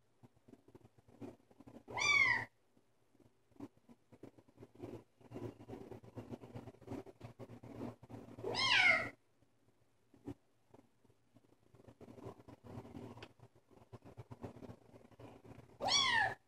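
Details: A female Bengal kitten calling with three loud, sharp, high mews spaced about seven seconds apart, each bending down at the end, between them soft scratching and shuffling sounds.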